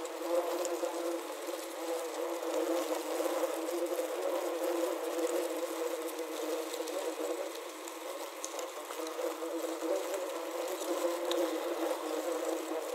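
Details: Many wasps trapped inside a wasp trap buzz steadily together, a dense droning hum with small shifts in pitch.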